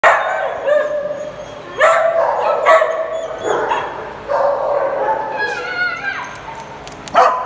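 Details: Dogs playing together in a small group, giving sharp, mid-pitched barks and yips at irregular intervals, some drawn out into short howling yelps, with quieter panting and scuffling between bursts.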